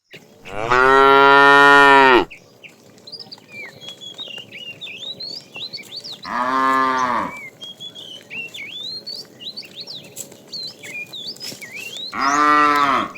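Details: Tame cattle being herded in the afternoon, a fat cow calling the female: three loud harmonic moos, the first about one and a half seconds long, with chirping birds whistling between them.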